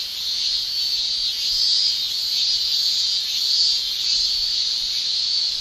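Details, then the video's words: A Japanese summer cicada chorus: males' tymbal song forms a constant, high, sizzling tone that slowly surges and fades in volume, with nothing else clearly audible. "Japan Summer Cicada Shrilling Relaxing Sound"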